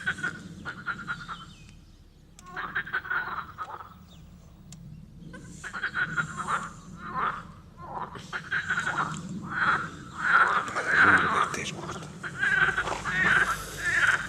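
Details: Tyrrhenian tree frogs giving rattling pulsed calls in repeated bursts, the calls overlapping and growing louder and denser toward the end of the recording, over a low background rumble.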